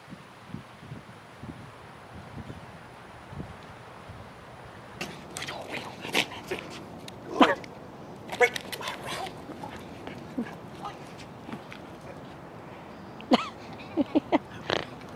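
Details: Puppies aged nine weeks to four months during a training session: short sharp barks and yelps come in scattered bursts, clustered mid-way and again near the end, over a quiet background.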